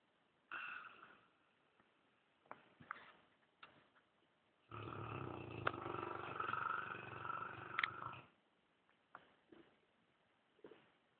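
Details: Dogue de Bordeaux asleep on a leather armchair in a living room, snoring and twitching; a few short snorts, then a long, loud, rasping snore of about three and a half seconds in the middle, followed by softer scattered breaths.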